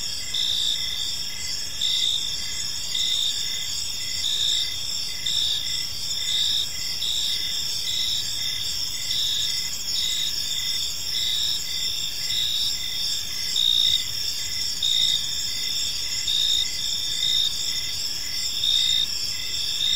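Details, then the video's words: Gentle evening cricket chirping in a peaceful park, a dense high-pitched chorus of steady trills with rhythmic pulses about once a second sustained throughout, plus low faint ambient rumble. "Cricket Sounds in a Peaceful Park"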